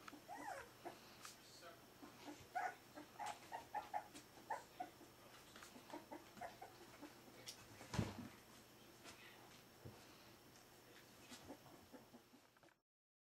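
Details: Four-week-old Pyrenean Shepherd puppies of the smooth-faced type, uttering brief high squeaks and whines in the first seconds, then mostly shuffling, knocks and a thump, with a faint voice in the background.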